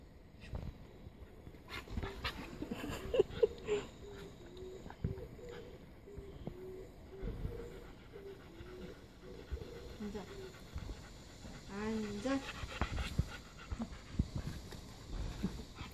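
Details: Siberian Husky puppy doing tricks, whining in a long series of short, wavering, nasal whimpers, with a few rising yelps near the end, amid household rustling.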